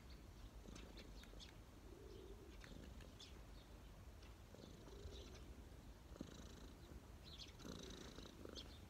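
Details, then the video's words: Street cat relaxing on a person's knees, purring steadily as a low rumble with soft, faintly pulsing swells and a few light clicks above. "cat purring"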